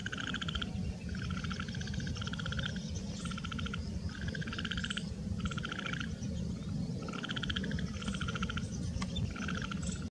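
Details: Indian bullfrogs in a village give breeding calls, rapid pulsed croaks in short bursts, calling over one another.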